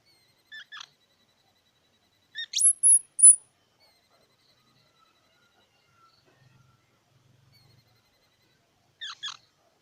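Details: Squirrel calling in a quiet setting: two brief faint chirps, then a sharp upward-sweeping squeak followed by three piercing, very high whistled notes, and a last pair of short chirps near the end. No other sounds.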